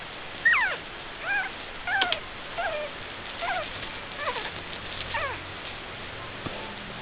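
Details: Two puppies, Helga (brown) and Minnie (black), vocalising indoors: a string of high, thin, downward-sliding squeaky whines, about ten short calls over seven seconds, some doubled, with brief pauses between and quiet room background.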